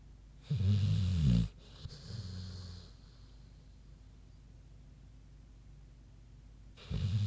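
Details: Queenie the big pig snoozing: one loud, deep, rattling snore lasting about a second, a softer wheezy breath after, then quiet before the next snore begins.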